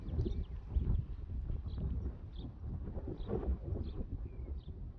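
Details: Young Friesian horses back out on a meadow that has dried after the rain, enjoying their turnout: dull, irregular low hoof thuds on grass, with short high bird chirps scattered over a soft outdoor background.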